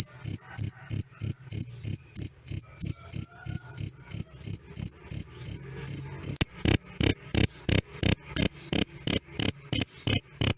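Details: Cricket calling a loud, clear "krik krik": about thirty sharp, high ringing chirps in ten seconds at a steady pace, each with a faint low knock beneath, the pulses growing broader and harsher after the sixth second.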